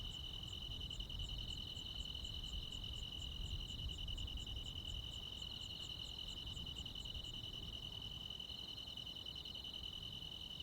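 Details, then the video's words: Night insects in rural countryside at the height of summer, crickets among them, hold a continuous high ringing drone while a second caller pulses rapidly at a higher pitch, then falls silent near the end. A low background rumble runs throughout. "시골 야간 귀뚜라미, 벌레 소리"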